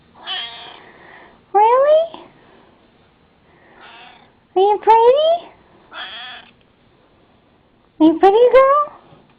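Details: Sassy, a pet cat, meows repeatedly indoors, each call rising steadily in pitch and lasting about half a second, roughly every two to three seconds, while a woman softly talks to her in between.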